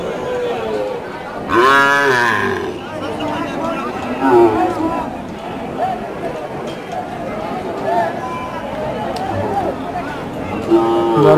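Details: At Choubaria cattle market in Manda, Naogaon, bull calves of an improved breed are offered for sale, 28 September 2018. A single loud, harmonic, slightly wavering bellow rises early, followed by fainter lowing beneath busy market talk and murmuring people.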